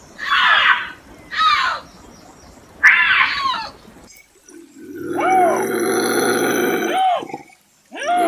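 A bobcat lets out three short, hoarse, hissing screams in quick succession. A longer, more tonal yowl follows, held for about two seconds before dropping away, and then another scream begins.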